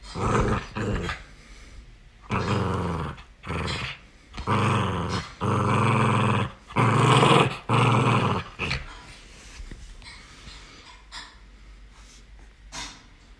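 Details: Miniature Pinscher puppy Galu in playful mischief indoors, giving long sustained growls in bursts of one to two seconds separated by brief pauses, growing louder midway then fading into scattered clicks and rustling toward the end.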